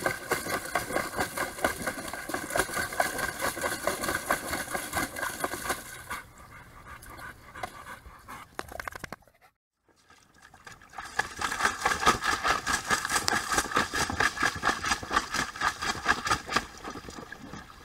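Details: Labrador Retriever Mya, a one-year-old female, panting fast and rhythmically while struggling to empty a tub kept filling by an open garden hose; steady breathy pulses throughout, a brief quiet gap midway, with running water.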